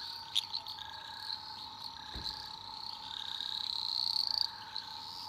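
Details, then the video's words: At night in an Australian rainforest, an eastern dwarf green tree frog gives a high, pulsing, rising trill over a steady chorus of the same frogs. "Relaxing Australian rainforest frog sounds at night (5 hours)"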